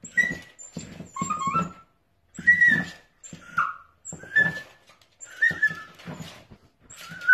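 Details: Playful sausage dog puppies let out thin, high whining squeals that bend and wobble, broken by brief yips and scrabbling noises, in uneven bursts with short pauses between them.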